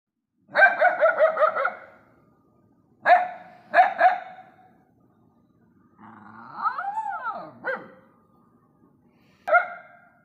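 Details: Stray dogs barking together at night: a burst of rapid barks, then sharp single and paired barks, a drawn-out whining howl in the middle, and a final bark, with quiet pauses between.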